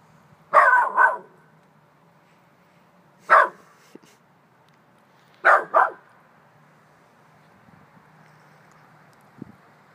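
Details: Chihuahua mix puppy barking indoors at nothing visible, as if at a ghost; sharp high yappy barks, a double bark, a single bark, then another double bark spaced a few seconds apart, with quiet room hum between.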